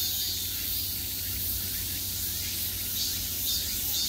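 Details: Peak-summer cicadas buzzing all around, a steady high sizzling wall of sound with only loose, uneven pulsing and a low background rumble.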